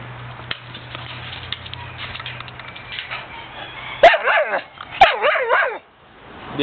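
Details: A female blue pit bull kept as a pet gives two sharp, high yelping barks at about four and five seconds. Each is followed by a quick run of bouncing, falling yips, after a quiet stretch with a low steady hum.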